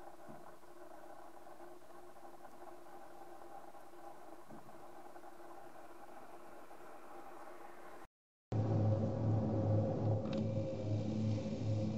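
Steady engine hum and low mechanical rumble throughout, with a brief break and louder motor noise after; no animal voice stands out.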